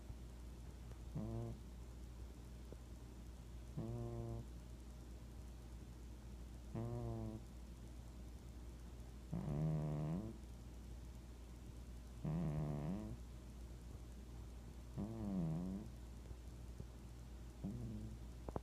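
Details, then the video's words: Cat snoring, each breath a nasal, harmonic rasp that wavers in pitch, repeated about every three seconds over a steady low hum. "Cat Snoring"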